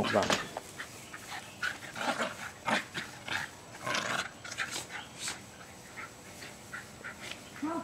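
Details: Jasper and Jaclyn, two almost two-year-old Jack Russell Terriers, play fighting and chasing each other in a freshly sodded backyard in Lenexa, Kansas, on 5 May 2009: short sharp yips and barks at uneven intervals, with a person talking.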